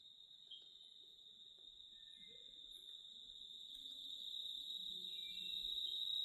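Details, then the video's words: Cicadas buzz in a constant high, even whine that grows gradually louder toward the end. Soft low murmuring tones come and go in the background. "RELAXING CICADA WHITE NOISE"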